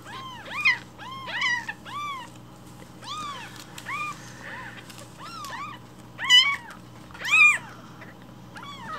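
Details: Hungry rescued newborn kittens meowing loudly in the morning, demanding their breakfast milk; overlapping high arched mews, several per second at first, with louder, strained cries toward the end and a steady low hum beneath.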